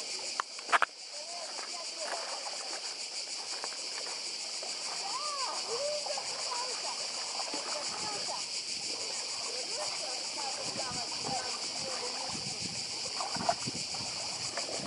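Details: Cicadas on Badija island in Croatia, a steady high buzzing drone with fast rhythmic pulsing, laid over the wash of the sea and faint distant human voices.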